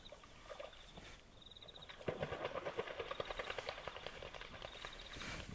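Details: Wild hippopotamus at night by a river in the African bush, Kafue National Park, Zambia: a rapid, rough pulsed burst of grunts that swells and then slowly fades, over a steady high insect trill.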